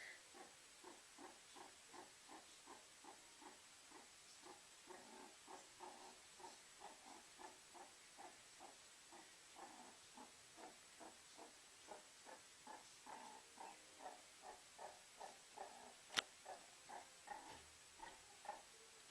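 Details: A meerkat warming itself by a fireplace gives short, soft, mid-pitched calls in a steady stream, roughly two or three each second, with one sharp click near the end.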